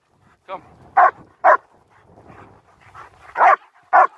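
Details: German Shepherds Nico and Zeeva barking on a winter walk in Hawick, Scotland, recorded on a Samsung S23 Ultra: four sharp, loud barks in two pairs, a softer yelp before them, faint murmuring between.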